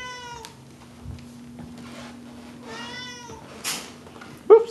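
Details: Pet cat indoors at home, two drawn-out meows about two seconds apart, the first falling slightly, with a woman talking softly and a short sharp noise near the end.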